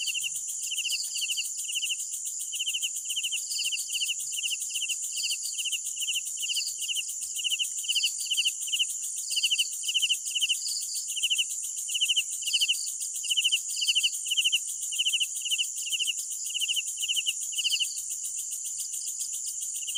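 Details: Chorus of crickets on a night: steady, evenly spaced short chirps from one loud insect, with a second, higher chirper answering intermittently over a constant sizzling high drone.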